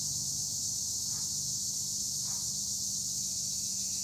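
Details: Olive-grove tree crickets at Güre, Edremit, Turkey keep up a steady high shrill drone, with two soft brief lower calls rising above it.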